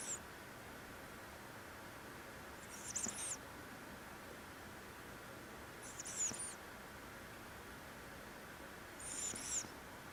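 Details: Five-month-old male Norwegian Forest cat snoring while asleep: a brief, thin high whistle on each breath, repeated about every three seconds, over a quiet hiss.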